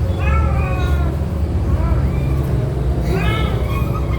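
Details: Mother cat moving her kittens by mouth, four kittens in the litter; three or four brief, bent mewing calls spread across a few seconds against a steady low hum.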